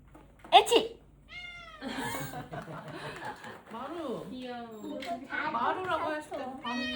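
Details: Tuxedo cat kept indoors meows after a person fakes a sneeze; short rising-falling mews in a small room, mixed with people talking and laughing.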